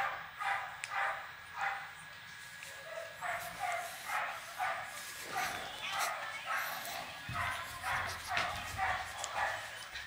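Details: Siberian Husky puppy Pandora at play, giving a run of short high yips about twice a second, with some low thumps and faint human voice in the background.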